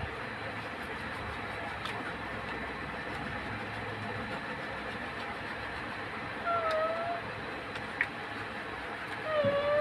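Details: Domestic cat giving a few short meows, the first a slightly falling tone and another near the end, set against a steady rumbling, train-like background noise.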